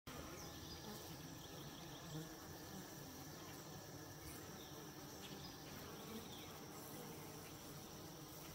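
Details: Honey bees washboarding at a homestead hive, a steady low droning hum of many wings with faint higher whine, continuous and even throughout with no other clear sounds.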